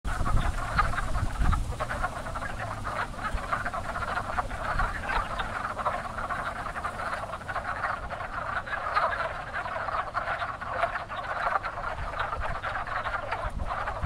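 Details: A dense, active spring breeding chorus of wood frogs at a pond, their hoarse, duck-like clucks overlapping without pause; wood frogs are among the first frogs to breed in spring.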